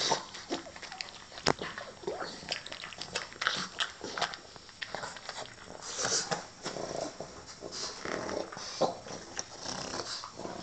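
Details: A blind pug eats its dinner, giving wet, irregular smacking and crunching clicks and short snorty breaths. One sharp knock comes near the start and the snuffling grows busier in the middle.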